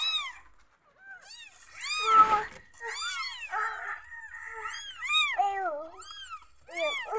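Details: Newborn kittens meowing from insecurity, a steady stream of arched high mews from several young, one louder harsh burst near the start, some lower wavering cries.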